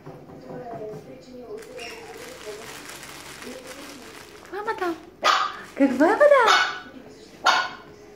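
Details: Chihuahua: soft murmuring voices for the first half, then a burst of sharp, high yapping barks with whiny rising-and-falling tones between about five and seven seconds, ending with one short bark.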